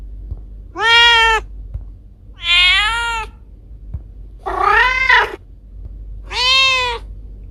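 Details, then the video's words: Domestic cats Kiko and Koko, household pets: four loud, bright meows spaced about two seconds apart, each rising then gently falling, with the third sounding rougher and more strained. "Cat sounds to scare mice away"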